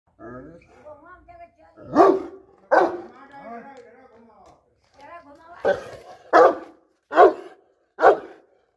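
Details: A French Mastiff at a dog kennel barks after seeing other dogs, deep, loud single barks spaced about a second apart, with a human voice between them.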